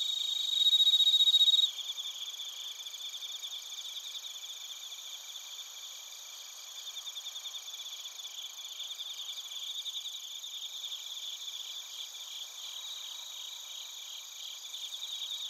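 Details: Crickets including bell crickets singing in Narita, Chiba, Japan, recorded on a TASCAM Portacapture X8: a loud, clear ringing burst opens, then a steady high pulsing chorus of many overlapping chirps continues evenly.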